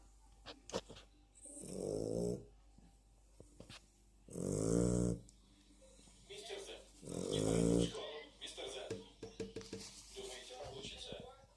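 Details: Dog snoring: three long, rumbling snores roughly every two and a half to three seconds, each lasting about a second, with clicks and other small noises in between.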